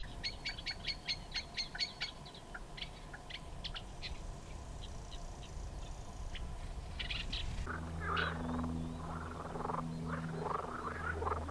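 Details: Marsh frogs give quick, clicking, rattled pulses in fast bursts at a pond at Elmley Nature Reserve, Isle of Sheppey, Kent, on a June 23, 2024 afternoon. A man then talks over a low rumble, with reed warblers nearby.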